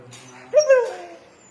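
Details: A pet dog playing a pretend game with its owner, who speaks Tagalog. It gives a single whimper that jumps up sharply, wavers, then slides down and fades over about half a second.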